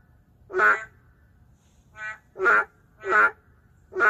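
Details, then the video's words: Loud, nasal, honking croaks from endangered narrow-mouthed frogs in a city setting, about half a second apart in quick succession, one softer call between louder ones. "맹꽁이 울음소리"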